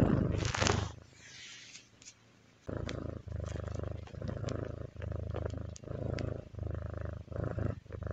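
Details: Relaxed kitty's purr: after a brief scratchy rustle and a quiet pause, a steady low rumbling begins, pulsing in regular breathing bursts for the rest of the recording.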